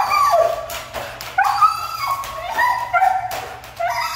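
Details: A Siberian Husky, said to be hard to train, voices a rapid string of wavering whines and yelps, pitch bending up and down from cry to cry.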